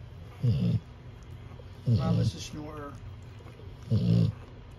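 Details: A Cane Corso puppy from a litter seen at the vet on 9/23/24 sleeps under a heat lamp, giving three low, gravelly snoring breaths over a few seconds, the middle one with a slightly rattling tail.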